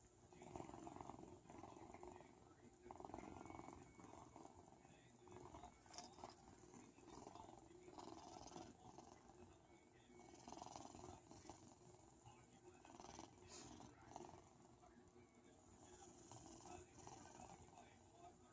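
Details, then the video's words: A sleeping pet cat snoring softly, each breathy, rasping snore recurring about every two and a half seconds over a quiet, faintly hissing room background. "Kitty snoring"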